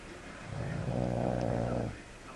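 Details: Pet dog snoring indoors: one drawn-out, low, rumbling breath lasting just over a second, with a soft rasping buzz, then quiet.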